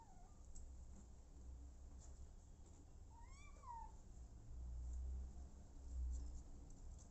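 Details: Abandoned kitten later adopted by the mother cat Smokey, giving one clear arched meow that rises and falls, preceded by a faint short mew, over low background rumble.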